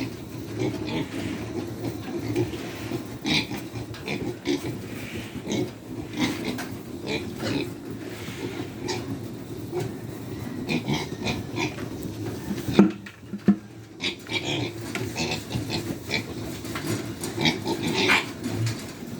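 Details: Hungry farm pigs at feeding time make loud, constant grunting and squealing, with harsh bursts and high squeals standing out over a low rumble; brief quiet near the middle; music and a man's short remarks are also heard.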